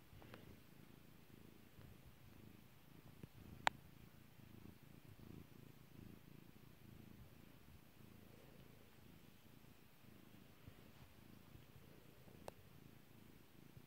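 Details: Petted house cat Kairi gives a continuous low, throbbing purr that pulses steadily throughout, with two isolated sharp pops cutting in, one early and one near the end.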